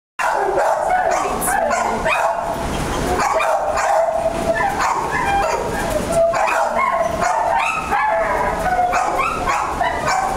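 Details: Dogs and puppies barking and yipping loudly and almost continuously, several overlapping voices in a busy, echoing space, with some human speech mixed in.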